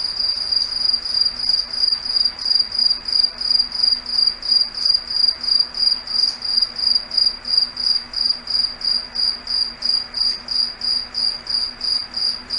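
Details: Crickets singing at night in a foggy forest, a piercing high trill broken into regular pulses roughly every half second to second, steady throughout, with a soft low hum behind.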